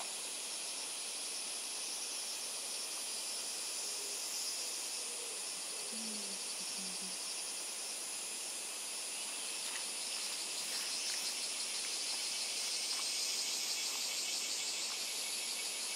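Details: Wild insects of Miyako Island, Japan, produce a steady shrill chorus of rapid, evenly pulsed buzzing that never pauses, over a faint low tone around the sixth second and a slight drop in the top voice near the end.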